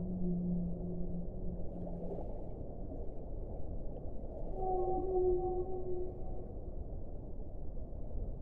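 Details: Whale, in a relaxation compilation: an opening low droning moan lasting about two seconds, then a louder, higher wavering tone with stacked overtones midway, all over a steady deep underwater rumble.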